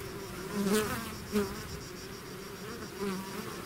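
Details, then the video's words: Steady hum of a bee swarm from its hive, broken by three close fly-bys whose buzzing swells and bends in pitch as single bees pass. "bees therapy swarm natural buzzing sound"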